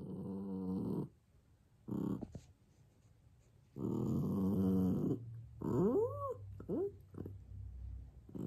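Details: Elderly, nearly senile dog vocalizing at nobody, loud drawn-out growling barks of about a second each, then quick rising-and-falling whine-like yelps near the end, with brief pauses between bursts.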